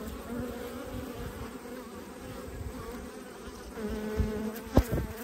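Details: Honey bees humming at a hive being inspected in autumn, one of twelve colonies: a steady low drone held throughout, with a few sharp knocks near the end.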